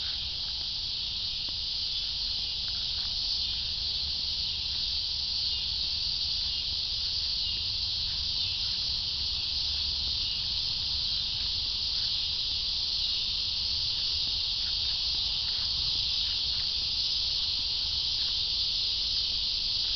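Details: Cicadas in a steady, loud, high buzzing chorus that drones without a break, with faint low rumble beneath.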